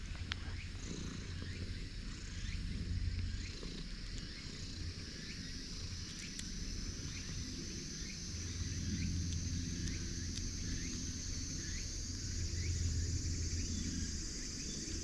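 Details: Domestic cats, a Siamese and an orange tabby, crowd in from both sides demanding to be petted; a low rumbling purr swells in bursts at the start, around nine seconds and again near thirteen seconds, under steady insect hiss and repeated faint chirps.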